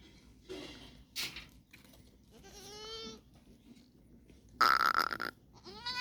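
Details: Goats in Tharparkar on 29 January 2025: several short harmonic bleats, one rising and wavering near the three-second mark, mixed with clanking bursts and brief voices.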